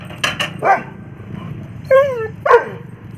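A German Shepherd gives a few short barks and a sliding, yelping bark over a low background rumble.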